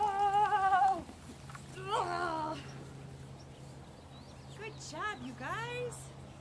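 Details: Chihuahua vocalising in a funny dog compilation: several wavering, harmonic howl-like calls that rise and fall in pitch, with a steady low hum underneath.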